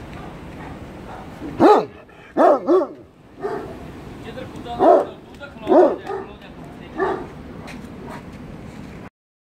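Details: An American Bully dog in Pakistan barks in short, mid-pitched woofs with arched harmonic tone, about six barks over several seconds, some in quick pairs, with quiet room noise between them.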